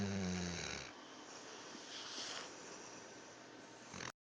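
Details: A dog snoring loudly in a small room: a harsh, broadband rasping breath with a low rumbling start, continuing in a steady noisy wheeze for about four seconds.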